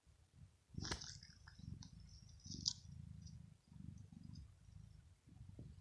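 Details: Domestic cat, a female, purring while asleep, said to express pleasure or relaxation; low, rumbling, throbbing purr in uneven breathing cycles, with a few sharp high clicks near the start.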